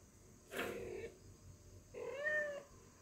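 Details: Calico cat giving two meows indoors, the first short and breathy, the second a longer drawn-out wavering meow with a steady tone near its end.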